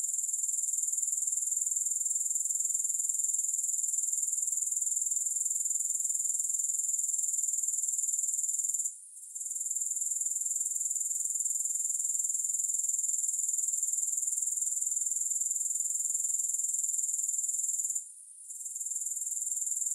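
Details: Grasshoppers producing a dense, high, sizzling trill of quick repeated pulses, even and steady, broken only by two short gaps about nine seconds apart; no music or other sounds.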